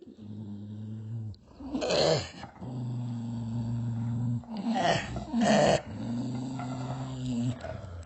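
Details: Dog growling with a low, steady rumble broken by a few short, louder snarling bursts near the middle, then settling back into a sustained growl.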